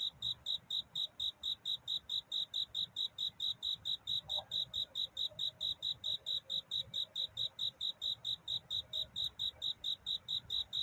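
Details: At night toward dawn, a cricket sings to find a mate, giving bright high chirps in an unbroken, regular pulse several times per second, with a quiet background hum.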